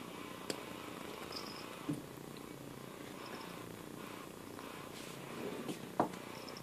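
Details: A pet cat purrs without pause, a low textured drone, while a few sharp knocks and small clicks sound over it indoors.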